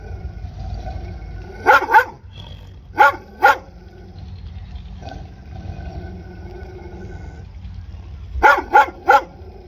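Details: Dog barking in short bursts of two or three sharp barks, separated by gaps of a few seconds, over steady low background rumble.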